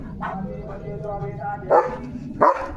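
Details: Leo the German Shepherd, on an evening farm walk and playing with a balloon: two hard, punchy barks near the end, after a stretch of quiet human talking.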